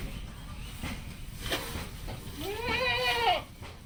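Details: Goat kept on a farm on a Padma River sandbar in rural Bangladesh, giving one wavering, nasal bleat near the end, preceded by soft background murmur and faint human voices.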